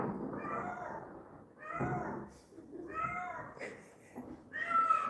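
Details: Domestic cat crying outside, heard from indoors: several drawn-out, wavering meows with bright overtones, spaced about a second apart, with a man's quiet speech in between.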